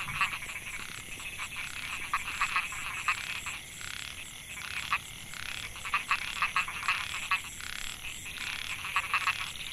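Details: Male Microhyla pulchra, narrow-mouthed frogs, in a Chiang Mai rice field in Thailand, recorded in 2014, calling to draw females. Several overlapping buzzy pulsed croaks sound in loose clusters, with a constant high-pitched insect hum behind.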